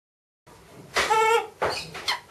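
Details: Miss Anna, a macaque at Bear Creek Sanctuary, calls excitedly while watching her breakfast being prepared: one tonal, harmonic coo held for about half a second, followed by two shorter, breathy, noisy bursts in a small indoor room.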